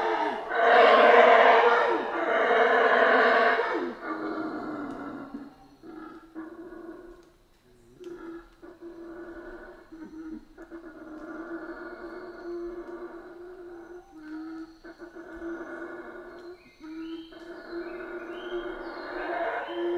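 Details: A howler monkey chorus from the Central American rainforest opens with loud, rasping roars in two surges, then settles into a lower, continuous humming drone with faint intermittent calls.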